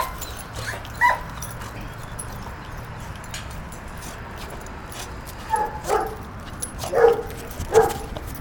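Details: Two puppies, Moe and Bambi, wrestling at play; a short yip near the start, then a cluster of quick yelps and playful barks toward the end over a low background hum.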